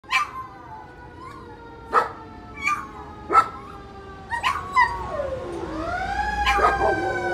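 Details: German Shepherd howling in reaction to sirens: short, rising, wavering yelps and howls come about every second, and a siren sweeps up and down near the end.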